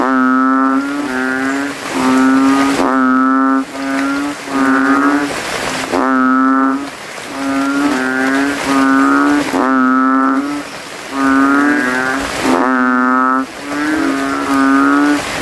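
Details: After rain on a dark night, rival male banded bullfrogs swell their throats in a graveyard puddle; loud bass moaning calls, each near a second, overlap and alternate in a continuous contest chorus.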